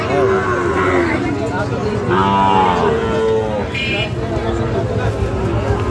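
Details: Sahiwal bull calves at the Ambari livestock market, Dinajpur district, 24 November 2025; short lowing moos at the start and around the middle, overlapped by men haggling over prices and general market bustle.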